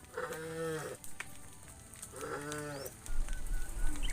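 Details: Herd of tame cows walking the road home to the barn; two short nasal moos, each under a second, about two seconds apart, followed by rumbling noise.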